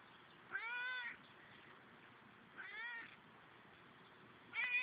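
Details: Domestic cat giving three clear, harmonic meows, each about half a second long with a slight rise and fall in pitch. They come roughly two seconds apart, and the last one is cut off. Only faint background hiss is heard.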